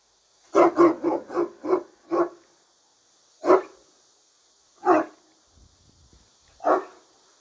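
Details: Turkish Great Dane barking from behind a barrier: a rapid run of six deep barks, then three separate loud barks spaced over a second apart, with faint low rustling between.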